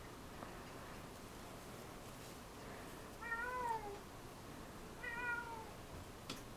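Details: Two pet cats playing on a cat tree indoors, December 13, 2011: two soft, falling meows about two seconds apart, each a short drawn-out whine, against a quiet room hiss.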